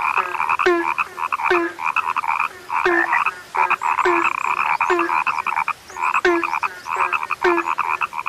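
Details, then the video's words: Rare frogs giving rapid pulsed croaks in quick succession, each burst a buzzy nasal tone ending in a short low note, bursts falling about every half second with faint higher chirps above. "SUARA KATAK YANG SUDAH LANGKA"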